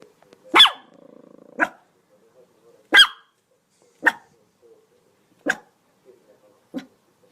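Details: Dog barking in sharp, separate barks spaced about a second or more apart, with a brief buzzy, harmonic sound between the first two barks.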